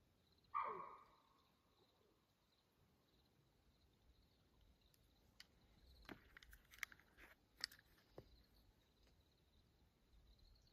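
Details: Night vocalization of a mountain lion on Houston Bros Trail, Coconino National Forest, Arizona, at 2:15 a.m. on June 7, 2024. One sharp, harsh cry with a falling tail comes early, followed by scattered clicks and rustling in the quiet forest.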